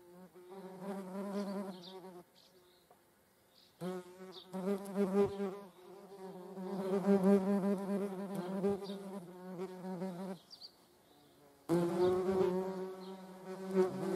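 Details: Median wasp buzzing near honeybees: a loud, low hum with strong overtones comes in long passes, wavering in pitch as the insect moves. Brief quieter gaps fall between approaches.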